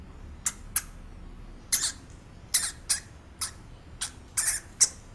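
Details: Real hamster squeaking: about ten short, sharp, high squeaks in separate bursts, some doubled, spaced irregularly across five seconds, over a faint low room hum.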